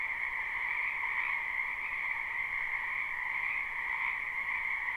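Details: Frogs crowd a spring wetland near a house, their croaking fused into a constant bright trilling wall of sound with slight pulsing swells and nothing else audible.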